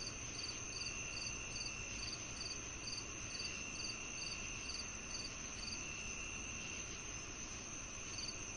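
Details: Cricket chirps meant to calm tinnitus: quick, high, pulsed chirps repeat briskly for several seconds, then fall silent until a final chirp near the end, while a steady high insect drone continues underneath.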